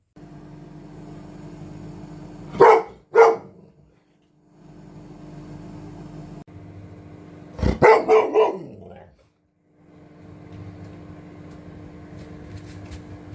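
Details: Golden Retriever Aloha barking during its lunchtime routine: two sharp barks, then a pause and a quick run of four falling yelping barks, over a steady humming background noise.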